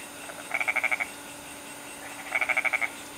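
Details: Goat frog in Bali giving two bleating, rapidly pulsed calls of about six quick beats each, roughly two seconds apart, over a steady background hum.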